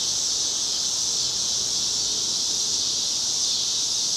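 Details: Chorus of summer cicadas on a residential Chicago street, cloudy August evening, 2010, making a constant shrill drone that neither pulses nor fades, high and sizzling, with only a faint low background hum.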